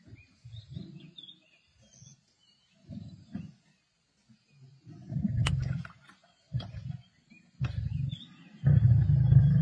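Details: Feasting Black Dam male lions sharing a kill with the Avoca Pride, Sabi Sands, 31 March 2024: soft intermittent grumbles early on, building to louder deep growls toward the end, with faint birdsong overhead.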